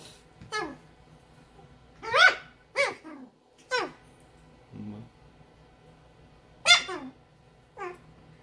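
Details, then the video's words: A mini teacup Bichon Frise puppy gives high, squeaky yips with falling tails, spaced irregularly. "Puppy barking sound Mini bichon frise - Teacup puppies KimsKennelUS"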